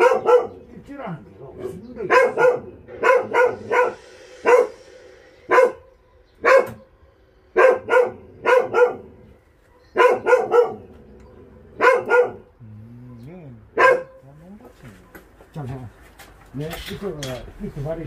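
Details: Shelter dogs on a volunteer transport from the Narae-ul Center, Ulsan, South Korea: steady runs of insistent barks in pairs and triplets, then softer wavering whines near the end.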